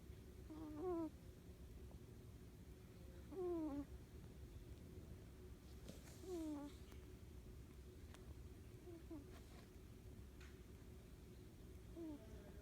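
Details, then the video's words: Siamese kitten asleep on a person's arm, making a cute noise while breathing: soft, squeaky, falling whistle-like tones with harmonics, heard about four times at irregular gaps of roughly three seconds, over a quiet low hum. "Cute Kitten Snoring!!!"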